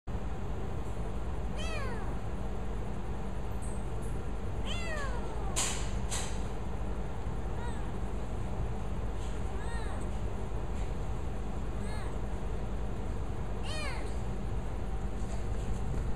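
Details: Wild kitten in Cyprus giving a series of high, thin meows that slide steeply downward, spaced a few seconds apart, over a constant low rumbling background noise with a couple of sharp clicks.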